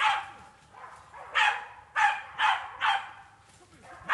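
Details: Jagdterrier training on wild boar in a pen, barking loudly and steadily: about five sharp, harsh barks spaced roughly half a second apart after a softer opening bark, with little other noise.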